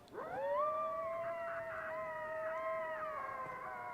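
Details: Several coyotes howl close by in the desert near an off-grid home: one long, rising wail is held steady while higher voices waver above it.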